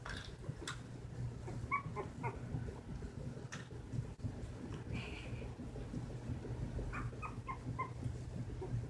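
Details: Nineteen-day-old silky terrier puppies named Winnie and Chunk, eyes recently opened, wobbling through early steps; brief clusters of high whimpering squeaks appear near the start and again late, set against a constant low electrical hum.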